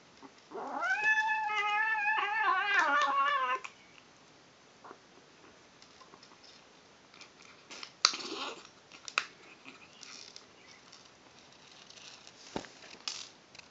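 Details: While eating, a female kitten gives a three-second wavering, throaty call with rapid pulsing harmonics, then falls silent to chewing, crunching and bowl clicks indoors.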